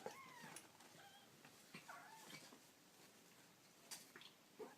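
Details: Baby kittens making cute noises: thin, high meows with slurred, wavering pitch, several short calls scattered through the moment, some overlapping, with faint rustling and soft handling clicks in a small indoor space.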